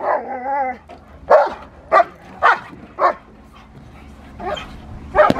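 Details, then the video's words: Rottweiler Magda vd Fehn Kolonie, BH, during protection training gives a short wavering whine, then four clipped barks roughly half a second apart, with one more bark at the end. "Rottweiler protection"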